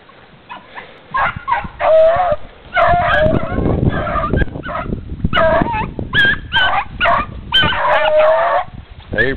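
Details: Running dogs yipping, whining and barking excitedly in rapid bursts, some calls sliding upward, with thumping footfalls and rustling underneath and a near-continuous chorus across the recording.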